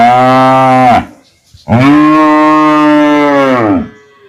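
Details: Two loud, deep cow moos: a one-second low bellow falling at its end, then after a short pause a longer two-second moo, rich in harmonics, that tails off downward.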